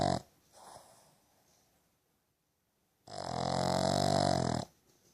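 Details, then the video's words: Sydney, a two-year-old rescued female Boston Terrier, snores while sleeping with her eyes open: a brief snort, a quiet pause, then one loud, rasping, harmonic-rich snore lasting about a second and a half. "Sydney snoring"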